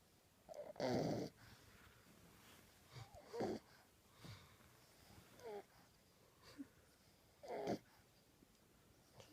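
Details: A 10-week-old male French Bulldog puppy snores asleep with his tongue out, in raspy, wheezing breaths roughly every two seconds.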